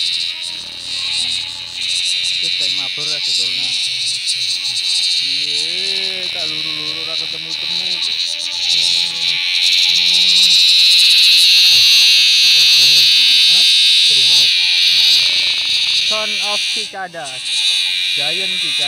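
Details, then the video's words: Very loud giant cicada in a field: an unbroken piercing buzz that swells to its strongest midway, while a man talks in Indonesian almost continuously. "catch giant cicadas with very loud sounds"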